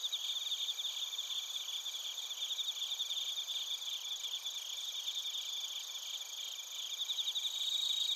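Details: Evening-style insect chorus of bell crickets and crickets from Narita, Chiba, Japan, taken with a TASCAM Portacapture X8: many overlapping high, pulsing chirps with an irregular beat, forming a thick, shimmering wall of sound.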